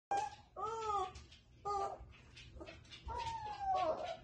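Borzoi puppies howl in thin, high, wavering notes that rise and sag in short drawn-out bursts.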